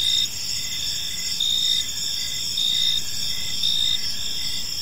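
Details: Crickets singing in a park as evening falls, high-pitched continuous trilling with rhythmic pulsed chirps roughly every second, layered callers and a low background hum.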